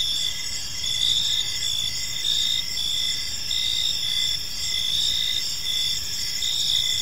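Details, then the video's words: High, steady cricket chirping fills an evening park, many insects trilling together in layered bands with gentle rises and falls in volume and faint low background rumble. "Park Serenade: Cricket Sounds in a Peaceful Park | Evening Ambience"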